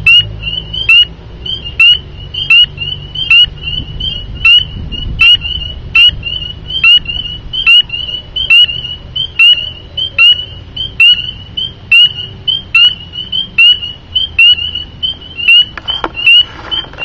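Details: Several spring peepers living under a house deck call nightly from dusk to dawn; one gives sharp, high, whistled peeps that slur upward, repeated at a quick, steady pace over a soft low rumble.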